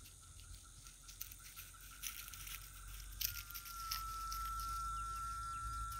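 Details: Cicadas at dusk in rural scrub near Itaporanga, Paraíba, Brazil, Thursday 14 December. Rustling and patter fill the opening seconds. Then a clear, steady whistling tone starts halfway through and holds to the end over a constant high insect buzz.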